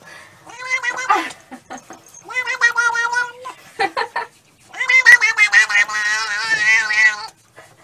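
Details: Domestic cats in a funny compilation of cats that seem to speak: long harmonic meows and drawn-out wavering yowls, several in a row with short pauses, the last one loud and quavering.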